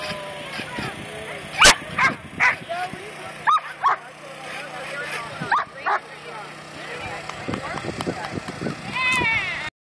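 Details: Rumble, a 10½-year-old dog, at lure coursing practice: sharp, loud barks and yips break out irregularly, several in quick bursts, over steady human talking and a background vehicle hum.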